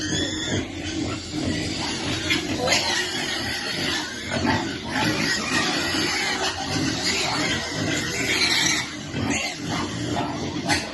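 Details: Baby piglet waiting to eat food at feeding time, with a dense, continuous mass of grunting and squealing across the whole stretch, noisy and overlapping with little pause.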